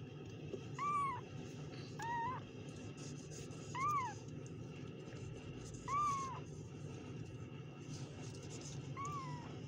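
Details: Kittens meowing: five short, arched, high mews spaced about every two seconds over a steady low hum.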